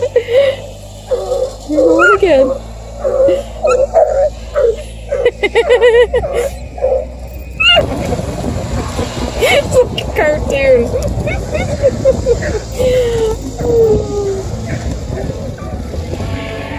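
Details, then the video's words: Two Bluetick Beagle puppies, Olivia at 4 months and Minnie at 5.5 months, from a hound pack near Kingston, Ontario, chasing a deer hide for their first time; high whining yelps come in bursts over the first seconds, then rustling, with music underneath. "Bluetick Beagle puppies chasing a deer hide"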